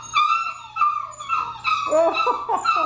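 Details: Six-week-old Labrador Retriever puppies from a litter of nine, indoors, giving high whining whimpers with clear harmonics, several overlapping and wavering, rising toward the end into a busy chorus of short yelps.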